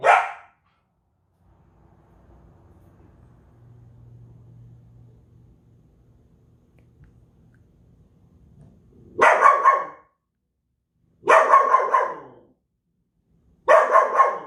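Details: One bark from a Belgian Malinois, then several seconds of low humming background, followed by three powerful barks repeated about every two and a half seconds.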